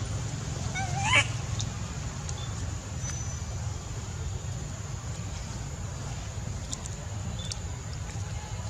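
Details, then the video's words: Crying loudly out of anger at his mom, baby monkey Sweet pea gives a single quick rising squeal about a second in. After it, only a continuous low drone and faint talking remain. "Baby monkey Sweet pea crying loudly cos he angry his mom"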